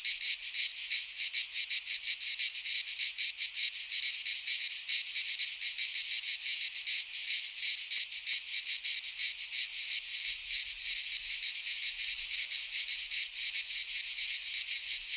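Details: Cicadas singing in midsummer in a Greek pine forest: a dense, continuous high buzzing chorus pulsing rapidly, close to three beats per second, with no other clear sounds.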